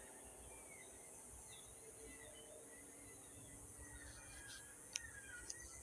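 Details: Cicadas shrilling at sunset in Yuma after 7 p.m., a steady high, unbroken hiss running throughout, with faint whistled bird notes drifting over it and a couple of sharp clicks near the end.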